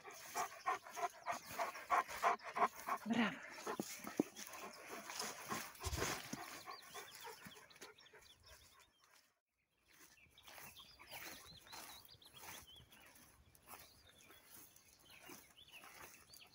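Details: Alabai, or Central Asian Shepherd Dog, father Polvon and his young daughters, of Tajikistan flock origin; quick rhythmic breathy pants repeating for about eight seconds, a brief gap, then softer scuffling and light breathing.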